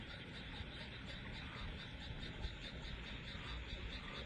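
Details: Frogs call in a steady, pulsing chorus over a low background rumble on a still, warm summer night near water outside a home in rural Wakayama, Japan.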